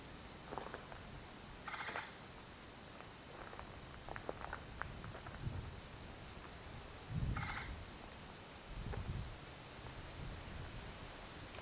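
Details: Japanese giant flying squirrel (musasabi) at Mount Takao, Japan, recorded 19 August 2014: two harsh, rattling bursts, near two and seven seconds in, over a steady pulsing high insect hiss.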